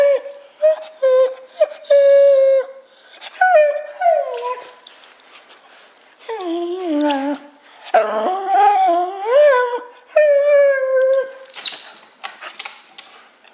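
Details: Wire Fox Terrier eager for a large silver balloon tied to a lamp above him; repeated clear, high, drawn-out whines, some steady and some sliding down, rising into longer wavering howl-like cries in the middle.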